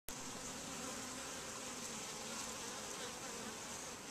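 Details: Honey bees flying in and out of a super-hive entrance, a dense steady hum of many wings filling the whole recording without pause.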